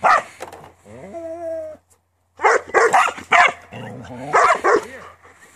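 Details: Border Collie from a working farm opens with a drawn-out, steady-pitched whine, falls silent briefly, then breaks into a flurry of rapid, overlapping barks.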